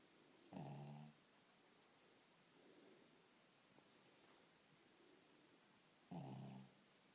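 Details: Pet dog snoring at home: two loud, rough, buzzy snorts about half a second long, roughly five and a half seconds apart, with soft, faint breathing in between.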